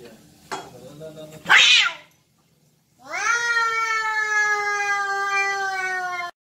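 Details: Domestic cats fighting, two brothers: a sharp noisy burst like a hiss or spit, a brief silence, then one long, steady, high-pitched yowl with rich harmonics held for over three seconds.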